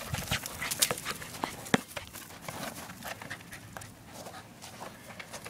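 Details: West Highland White Terrier named Casper at play with a basketball, breathing in quick ragged pants about once a second amid sharp taps and scrapes from the ball and floor.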